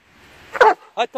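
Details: A Dobermann at the seaside lets out a single loud, abrupt bark, followed closely by a man's voice urging it to come out and go on.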